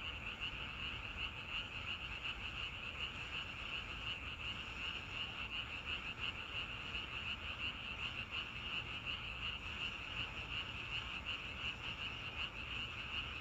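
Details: Frogs in a natural setting among grass and flowers, a dense continuous chorus of fast rattling pulses at a fairly high pitch, about 167 per minute, steady throughout with no other clear sounds.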